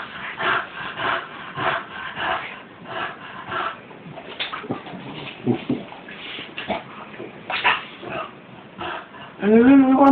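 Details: Bulldog playing with bubbles: rapid bursts of snorting, snuffling and chomping repeat unevenly, then a short rising nasal whine closes the sequence, with people laughing and talking nearby.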